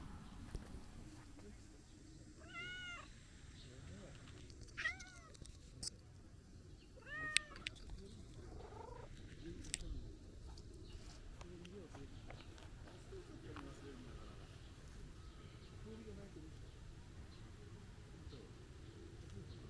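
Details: Calico stray cat asking for petting with a series of three clear, tonal meows spaced a few seconds apart, each bending up then down, over soft rustling and faint outdoor ambience.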